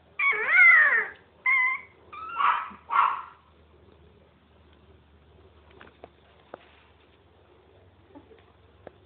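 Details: Playing miniature pinscher puppies give several high, wavering whimpering yelps in quick succession over the first three seconds, then near silence with only a few faint clicks.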